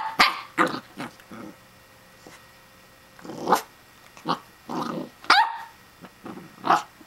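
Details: Corgi puppy Riley, a Pembroke Welsh Corgi, yapping at a plastic hedgehog toy called Phillip; scattered high, sharp barks with a few growly notes, spaced about half a second to a second apart.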